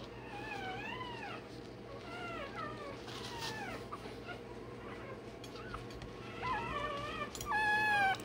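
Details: Day-old Rottweiler puppy crying while its tail and dewclaws are done: a few high, wavering squeals that rise and fall, quieter at first and then louder near the end, over a steady low hum.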